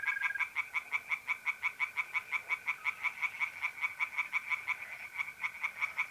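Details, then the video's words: Tree frogs calling from a pond in north-east Italy on a mid-April night, a fast, regular train of loud croaking pulses, nearly three each second, with trilling mole crickets steady in the background. "relaxing singing tree frogs in pond and trilling mole crickets by night"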